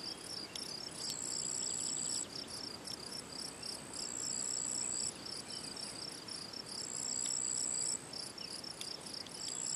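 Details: Field cricket (Gryllus campestris) singing at ponds in the Draga valley on 18 June 2023: a steady, rapid run of high shrill chirps with a thin, sustained whistle-like tone repeating above them.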